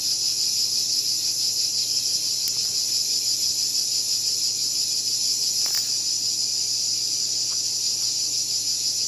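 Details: A cicada buzzes in an unbroken, piercing high drone, with a couple of brief sharp clicks over the steady sound.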